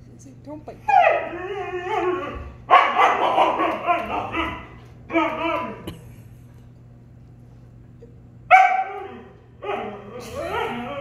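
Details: Appa, a Siberian Husky, argues with his brother Arlo, a German Shepherd, in a talkative back-and-forth of harmonic howls and yowls, bursts of two to three seconds separated by short pauses, indoors.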